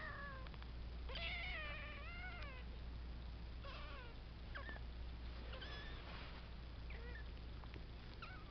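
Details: A three-week-old foster kitten, one of a litter kept indoors with their mother, takes its first steps and gives thin, high, wavering meows in quick irregular series over a steady low hum.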